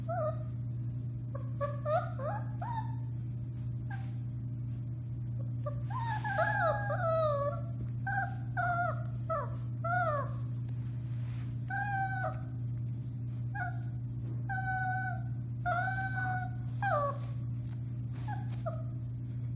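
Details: A litter of 4-week-old Alaskan Malamute puppies howls in thin, wavering, overlapping cries over a steady low hum, recorded March 30, 2021.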